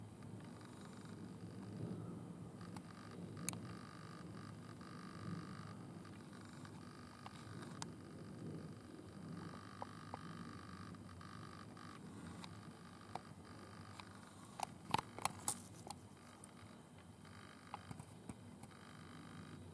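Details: Italian tree cricket settled in a butterfly bush, filmed at night under a red lamp while visibly stridulating; a faint, steady trill starts and stops in long stretches, with scattered clicks and handling knocks over background hiss.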